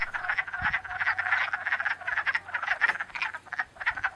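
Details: Breeding-pool chorus of male wood frogs floating on the water and calling females to mate, not synchronized: overlapping hoarse clucks and quacking rattles crowd together into steady chatter, with a soft low thump near the start.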